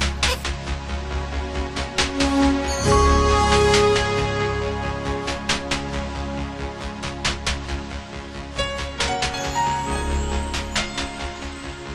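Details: Upbeat electronic music plays throughout, with a steady beat and bright synth notes and no animal voice.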